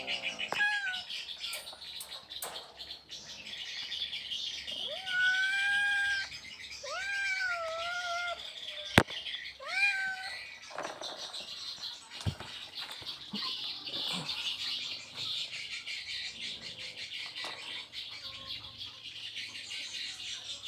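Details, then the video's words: Mating calls of an Asian leopard cat in Indonesia: repeated plaintive meows that sweep up and then sag, about five in the first ten seconds, followed by quieter hissing background with sharp clicks. "How cat asks to mate with bobcat/Asian Leopard Cat"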